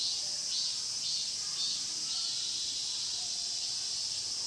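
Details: Brief stretch of cicadas in the Mokgye pine grove, Cheongsong, recorded with a Panasonic LUMIX GX9: an unbroken, piercing high buzz with gentle wavering swells.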